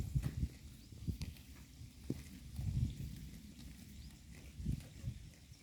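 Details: Cows in a herd eating grass in a pasture, heard as low muffled munching and ripping bursts at uneven intervals, with quiet background between bites.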